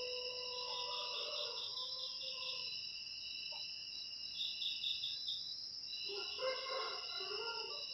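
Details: Cricket sound used to chase rats from a house: a continuous piercing high trill with rapid pulsed chirps on top, and softer lower warbling calls near the beginning and end.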